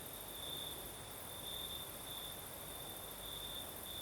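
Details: Crickets singing at night on the southern coast of Crimea in a night breeze: a steady high-pitched trill with pulses that swell and fade, over a soft broadband hiss and a faint high shimmer of other insects.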